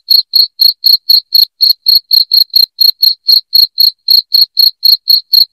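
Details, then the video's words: Cricket chirps played to repel rats indoors, loud and shrill, evenly repeated roughly four times a second without a break against a silent background. "SUARA JANGKRIK NYARING"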